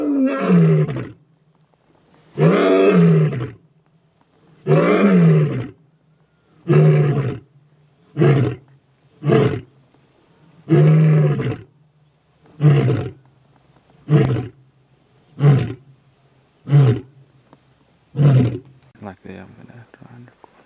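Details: Full roaring bout from a male lion: long, deep moans at first, then a series of shorter, evenly spaced grunting roars that grow briefer and fade toward the end, about a dozen calls in all.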